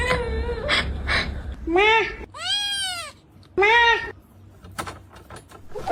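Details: Domestic cat uttering several separate arched meows, each rising then falling, spaced about a second apart, with some talking and soft background noise around them.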